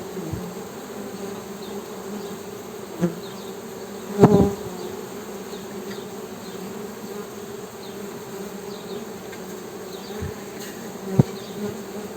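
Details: Steady droning hum from a Western honey bee, low and even, broken by a few sharp taps and a louder knock around the four-second mark.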